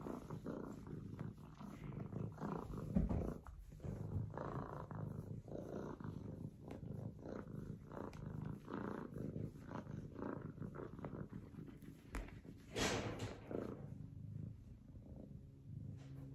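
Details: F2 Savannah kitten, a young male, purring steadily in a deep, even rumble sustained throughout, with occasional rustling and a brief higher burst partway through.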